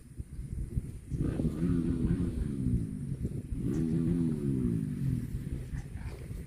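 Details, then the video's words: Cattle mooing twice, each a full, resonant low bellow of about one and a half seconds, the second following after a short pause, over a faint low rumble. "CUTE AND FUNNY COW SOUND VIDEOS COMPILATION"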